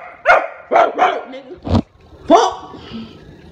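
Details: Pet Rottweiler barking at its owner: a quick run of four sharp, harmonic barks within about a second and a half, then one louder bark after a short pause, with soft music underneath.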